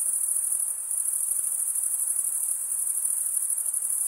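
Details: Night-time crickets in a summer forest keep up one continuous piercing high trill, many voices blending into an even shimmering band, with no other sounds.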